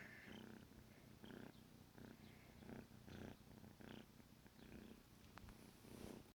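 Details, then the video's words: Morning purring of a 14-week-old male kitten named Negi as he wakes his owner; a steady low throbbing rumble in regular breathing pulses, close and quiet in a room. "Cutest Wake Up Ever! Kitten Alarm Clock!"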